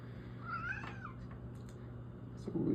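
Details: Pet cat, female, voicing her wish to go outdoors on a freezing cold day: a single rising, slightly wavering meow, followed later by a person speaking, over a low room hum.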